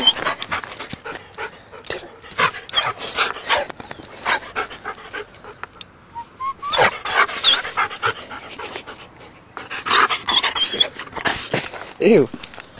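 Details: Pet dog panting hard, a fast run of breathy, hissing huffs repeated in steady bursts, with a brief pause near the middle and a short whine toward the end.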